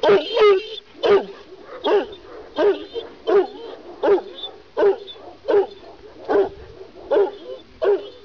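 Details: Kangal, a Kurdish shepherd dog from Sivas, barking steadily: deep, rough single barks repeated roughly every three-quarters of a second in a long regular series, with faint human voices in the background.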